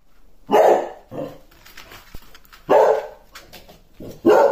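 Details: Basset hound barking: three loud, deep, full-bodied barks spaced irregularly about a second or more apart, with a quieter bark between, each short and harsh, over a quiet indoor background.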